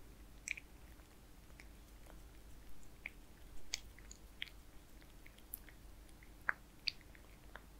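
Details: A kitten named Zayka eats wet food (Purina Perfect Fit), giving sparse sticky clicks and soft lapping smacks spaced irregularly, a few sharper snaps, over steady low background hum.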